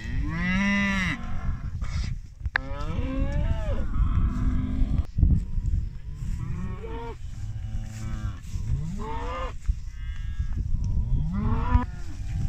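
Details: British Friesian maiden heifers, a group of 25, mooing again and again: deep, drawn-out lows that overlap, some rising and falling, with several animals calling one after another against low background rumble.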